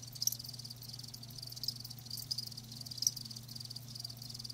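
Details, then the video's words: Crickets kept live, giving faint high-pitched chirps with a handful of sharper louder pulses scattered through, steady low electrical-sounding hum underneath. "Live Crickets 60min "Natural Sound""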